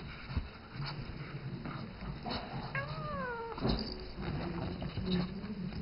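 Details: Seven-year-old house cat Isis calling the young ferret Rambo she mothers; one drawn-out, slightly falling meow midway, amid low hum, knocks and rustling from the animals playing indoors.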